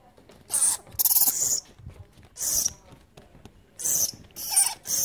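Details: Little red flying fox babies being cared for in rehab make loud, harsh, high-pitched squawking chatter in five or six bursts of about half a second each, separated by short pauses and faint rustling.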